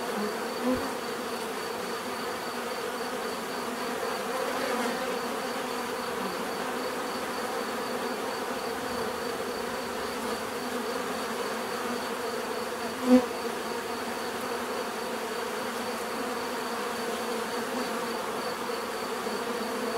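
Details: Bees buzzing naturally in a softer, steady hum of overlapping wingbeats, with a thin high tone running across, a short click near the start and a sharp louder buzz or tap around thirteen seconds.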